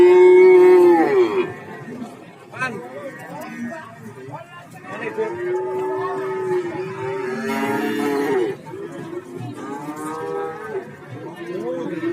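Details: Several cattle call at the Warujayeng livestock market in Nganjuk. A loud opening moo is followed by a run of shorter, overlapping lows and bellows over twelve seconds, with crowd noise and voices between them.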